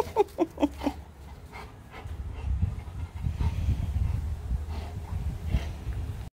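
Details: A male Rottweiler, lying lazily and not wanting to get up, gives a quick run of four high, whiny cries, pleading for his ball.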